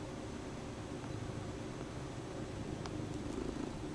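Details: Female Bombay cat purring indoors while kneading a stuffed toy horse she carries around the house; a low, steady rumbling purr runs throughout, with a faint click near the end.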